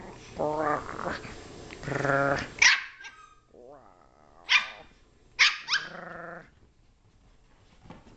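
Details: Six-month-old Brussels Griffon worked up on a couch while her owner growls at her: harmonic growling rumbles, then sharp barks and a whining growl, with a man's voice mixed in.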